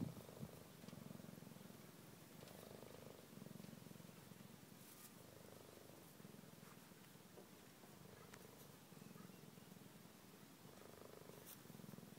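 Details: Cheetah cubs resting with their mother give a steady low purr that rises and falls in rhythmic breaths, roughly every one to two seconds, over quiet background.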